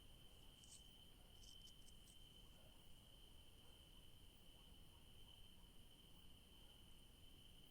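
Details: Crickets in a garden of yellow daisies in the evening keep up a continuous, even, high-pitched trill without pause, over soft low rumbling, with a few faint brief clicks higher up.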